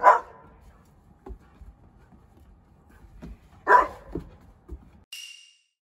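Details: Pet Australian Shepherd of 25 kg indoors during a noise-level check, giving single loud barks about three and a half seconds apart, with faint knocks and soft footsteps between them and a brief electronic tone at the end.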